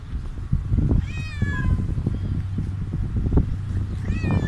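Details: Stray cat meowing after being fed; one falling meow followed by a shorter rising one near the end, against steady low-pitched traffic-like rumble.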